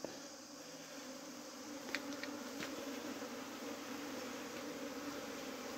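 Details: Bees that had flown up above the house while trying to swarm, buzzing as a steady mass. A constant, fairly soft droning hum with a few brief clicks partway through.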